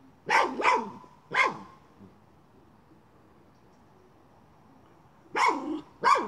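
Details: Miniature schnauzer hunting a chipmunk while moving a pipe: a quick pair of sharp, loud barks, a third a moment later, then a long quiet gap before two more abrupt barks close the stretch.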